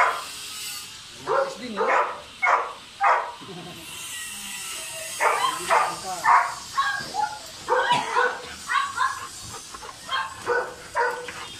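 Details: Golden Retriever stud session pairing Dugal with Lyla, a dam from QC: repeated short, sharp yelps and barks, roughly two per second in irregular runs, mixed with human voices.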